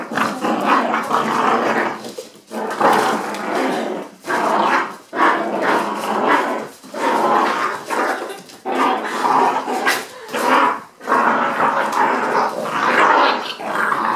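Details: Hoagie and Rubin, eight-week-old puppy brothers in foster care with the Animal Rescue League of Boston, growling steadily during tug-of-war play with a stuffed toy, harsh throaty bursts broken by brief pauses, an occasional yip.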